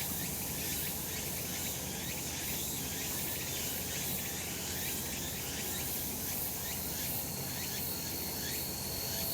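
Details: Cicadas singing on a sunny summer mountainside: a dense, steady high buzzing wash with repeated short rising sweeps roughly every second, and a faint thin whistled tone near the top. No other clear sounds.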